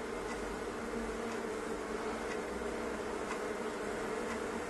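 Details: Honey bees by the thousands packed into a fireplace stove, their massed wings making a thick, even buzzing drone that holds steady, with occasional faint ticks over the hum.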